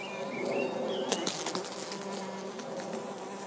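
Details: Orange-belted hoverfly, Xylota segnis, buzzing with a steady low hum and brief louder swells, while thin whistled bird notes sound in the background.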